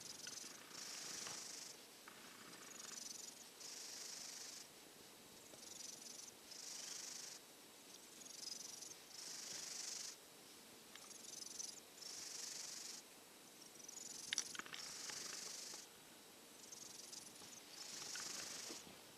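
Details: A silver tabby cat recovering from a cold, still off its food, dozes in a hot dog bed, snoring with steady airy hisses, each breath lasting about a second and recurring at regular intervals throughout.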